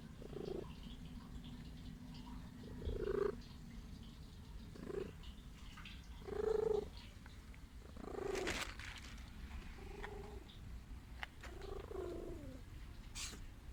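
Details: A sickly stray female cat wanting to be loved purrs continuously in a low, even rumble. Short nasal tonal sounds break in every few seconds, with a few clicks and rustles in between.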